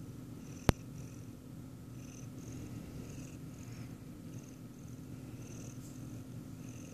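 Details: A Siamese cat purrs steadily while watching a person eat ice cream, a low continuous rumble, with one sharp click early on.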